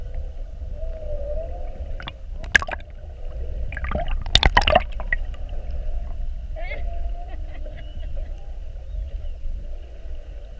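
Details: Whales spy-hopping around a boat in a classic mugging, recorded underwater on the 7:30 whale watch, 2-21-19. A smooth mid-pitched moan, then loud broadband knocks and splashes, then another brief rising tone over steady low rumble.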